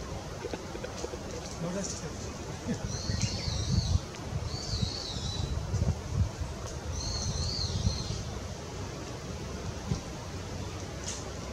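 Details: A Japanese giant flying squirrel (Petaurista leucogenys) gives high, warbling, squeaky calls in short bursts over a low rumble, recorded 3 May 2018.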